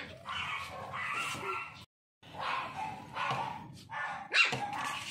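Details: Toy Poodle puppy yipping in sustained, bright bursts, broken by a short pause, then ending on a sharp high bark.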